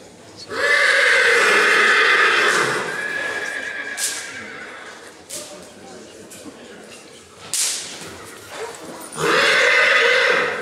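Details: Black Forest Coldblood stallion at the 2014 stallion licensing in Sankt Märgen, presented in hand and running loose; loud, long whinnies with a shrill, shaking tone open and close the clip, with crowd chatter and brief thuds between.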